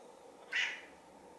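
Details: Sushi, a silver tabby house cat, gazes into the camera and chirps a single clipped meow, sharp onset, brief bright tone tailing off, as brown tabby Chai behind her silently makes a flehmen face; otherwise the background is quiet.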